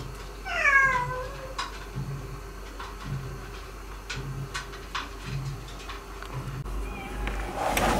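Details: Former stray cat living indoors with resident cats while learning to be a house cat; a single clear falling meow near the start, a faint short call later, with light tapping and a steady low throbbing background hum.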